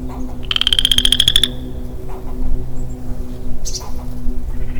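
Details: Lonely male western chorus frog in early-spring woodland gives one clear, rising, rapidly pulsed trill of about a second. Afterwards comes a brief higher chirp from another creature over a low background hum.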